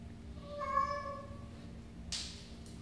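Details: House cat meowing once indoors, an even, sustained tone of about one second with strong harmonics. A short burst of rustling noise follows near the end.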